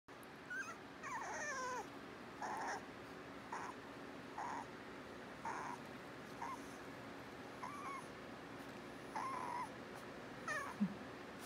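Corgi-Toy Australian Shepherd mix puppies whimper in brief, high-pitched whines, some sliding downward, others short and nasal. The little cries come in quick succession against a quiet background hum.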